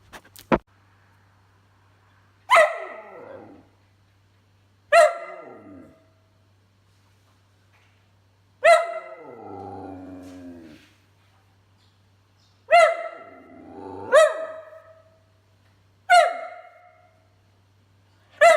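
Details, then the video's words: Whippet talking, barking and burping: sharp single barks with bright harmonic stacks every two to three seconds, one longer wavering, groaning vocalization around nine seconds, quiet room between calls. "Whippet Talking, Speaking, Barking and Burping"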